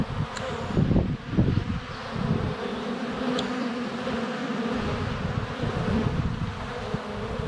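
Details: Honey bees flying at a hive entrance on a sunny February day, filmed up close with a GoPro Hero 7 Black under a foot away: a steady low droning hum with loud bumping thuds near the start as bees land on the camera.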